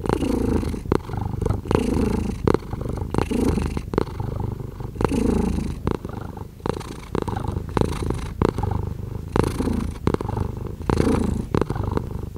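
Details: Domestic cat purring in a steady low rumble with rhythmic pulsing, broken by frequent short broadband clicks and rustles, likely fur or movement close to the microphone.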